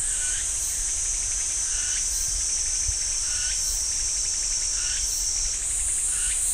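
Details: Continuous piercing cicada drone from the pine woods of Ssanggyesa, Jirisan National Park, overlaid by a lower rising phrase repeated roughly every second and a quarter.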